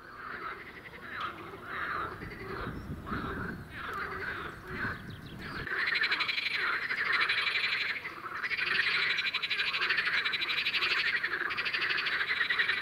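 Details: In spring at a small green pond, a single water frog croaks, then more join until a dense croaking chorus builds, rattling calls overlapping from across the pond as males try to lure females.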